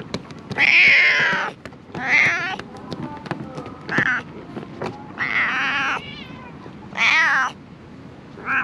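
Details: Stray cats living among illegally dumped rubbish, recorded on a GoPro HERO8: six drawn-out, wavering meows, each about half a second to a second long, come every second or so over a low background rumble.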